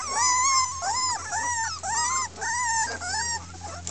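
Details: Red Miniature Pinscher puppies from a 2013 litter of six girls at Keltic Kennels, complaining loudly: a run of five clear, arched, nasal whines, each swelling then dropping, about one every 0.7 seconds, over a low hum.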